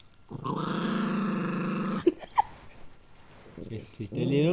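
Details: Gurgi, a pet Pug eating a treat, gives a steady low growl for about two seconds. Two short clicks follow, then a quieter stretch and a final rising growl at the end.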